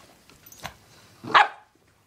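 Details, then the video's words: Boston Terrier dog reacting to being offered nail polish, which he hates; one short loud bark after a faint earlier yelp, with a person speaking softly in a room. "Boston Terrier hates nail polish"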